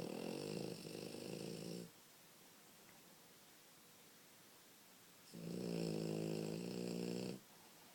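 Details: French Bulldog puppy asleep and snoring: two rough, vibrating snores about two seconds long, separated by roughly three and a half seconds of near silence.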